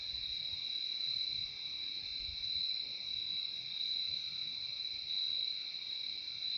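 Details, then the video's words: Steady chorus of crickets, an unbroken high-pitched ringing trill in two bands, loudness rising and dipping slightly every second or two, with soft low thumps underneath. "Relaxing sound of crickets"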